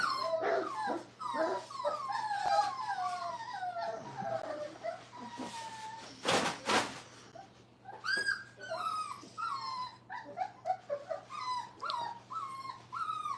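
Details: Crate-training Brittany puppies aged five weeks whine in descending, drawn-out cries and quick squeaks, a brief burst of loud broadband noise near the middle, then the high whimpers resume with a constant low hum behind.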